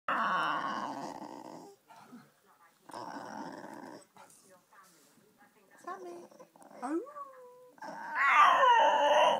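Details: Pet female dog singing to her owner: drawn-out, wavering howl-like vocal bursts with rough growly overtones, separated by short pauses, then brief rising and falling whines; a woman talks encouragingly between bursts.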